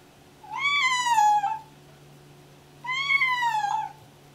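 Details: Pregnant domestic cat in pre-labour, deaf and excited, meowing constantly: two drawn-out meows about two seconds apart, each rising briefly then sliding down in pitch, rich and harmonic, in a quiet indoor room.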